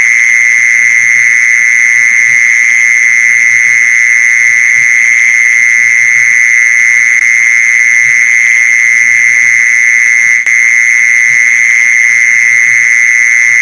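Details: Mole cricket sound used as a lure for catching mole crickets. A continuous shrill, even-pitched trill runs without pause throughout, joined by a brief click near the end and scattered quiet low knocks.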